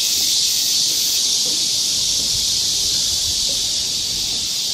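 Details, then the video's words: Many cicadas singing together in midsummer woodland at Galsan Park, Seoul, South Korea, a continuous shrill, hissing drone at constant loudness with only slight pulsing, and no other clear sounds. "매미울음소리. 한여름의 청량제와 같은 천사들의 찬가. 갈산공원 매미들 숲속의 합창"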